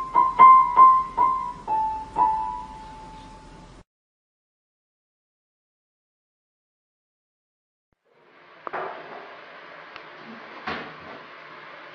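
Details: Bright electric piano notes for about four seconds, then silence, then soft indoor knocks and clatter.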